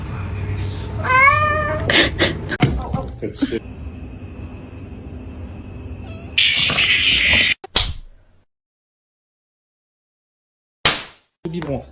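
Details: Pet cat meowing in a funny talking-cat compilation: a rising, wavering meow with stacked harmonics, then a sustained tone and loud bursts, with human speech around it and abrupt silent gaps.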